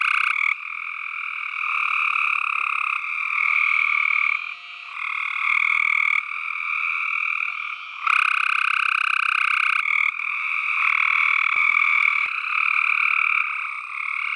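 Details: Dense chorus of tree frogs calling together, a continuous rasping, pulsed croaking with layered tones, loudness shifting in steps and briefly dipping near the five-second mark, with a faint clicking underneath.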